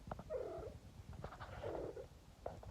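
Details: Domestic cat that acts like a dog, making strange alien-like noises: two short warbling trilled calls under a second each, over a low rumbling purr, with a person speaking briefly.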